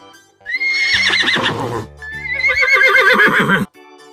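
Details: Horse presented in a children's animal-names lesson, two loud quavering whinnies, each about a second long and wavering up and down before trailing off, with steady background music throughout and a brief quiet gap at the end.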